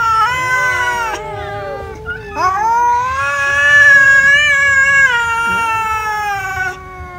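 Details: Cats eating rice; a loud, drawn-out wailing meow dominates, long harmonic cries lasting several seconds that rise then hold steady, broken by brief pauses, over a faint low rumble.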